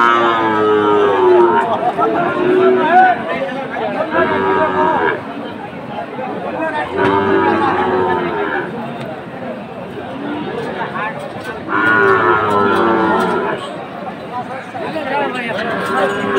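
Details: Sahiwal cattle, bull calves at a livestock market in Jessore, Bangladesh, on 29 October: drawn-out, deep moos recur every few seconds, four main calls across the stretch, over steady crowd chatter and nearby talking.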